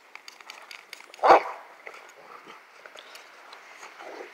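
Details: A Rottweiler in snow gives one sharp, loud bark, then only faint rustling and scattered small noises follow for the rest of the few seconds.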